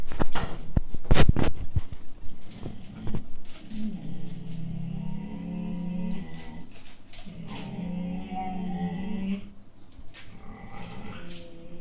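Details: Siberian Husky puppies aged 8-9 months quarrel inside over an empty food bag; loud snapping scuffles open the clip, then two long low growls with a whining edge, separated by a short pause.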